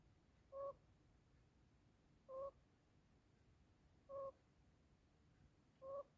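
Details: Pet African pygmy hedgehog snoring while asleep indoors; short squeaky, two-toned wheezing breaths repeat evenly about every 1.8 seconds over a quiet room hiss.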